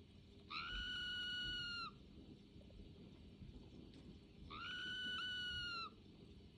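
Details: A pet red squirrel indoors at home in Saint Petersburg, Russia, on November 25, 2022, "sings", giving long, steady whining notes over a second long, repeated a few seconds apart. Red squirrel (Sciurus vulgaris), call.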